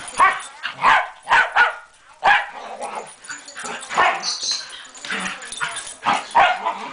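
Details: Two dogs, Moe and Porter, rough-housing on a Sunday morning: short harsh barks come in uneven bursts, about a dozen over seven seconds, mixed with lower growly grumbles and scuffling between them.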